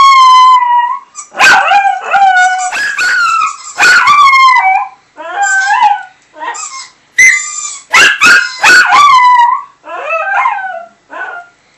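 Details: Small male Chihuahua howling in response to a squeaky toy sound played to him over a Skype call: loud, wavering, tonal howls and yips in a broken series of bursts, some rising and falling, with brief gaps of silence.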